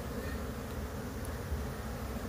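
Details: Wild bees from a colony that split, buzzing as a beekeeper relocates the swarm after catching the queen and the bees begin entering their new home; a dense, steady low hum fills the clip, with no breaks.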